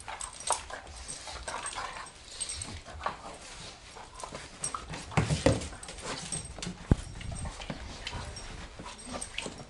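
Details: Two German Shorthaired Pointers, a smaller spunky male (Badger) and a larger female (Piper), play-fight in a living room, trading low, rumbling growls with a few whimpers amid scuffling noise.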